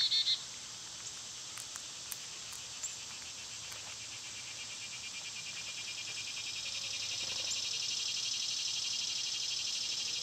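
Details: Cicadas singing loudly in summer, a steady high buzzing drone that swells in the second half, with a few brief bird chirps near the start.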